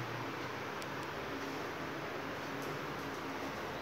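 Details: Steady broadband hiss and low mechanical hum, like a fan or engine running indoors, with a few faint ticks and no animal voice.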